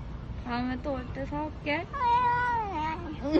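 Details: Stray cat in Korea giving a chatty run of meows: several short clipped meows, then a long drawn-out meow that holds steady and slides down, followed by a brief squeak, with faint background noise.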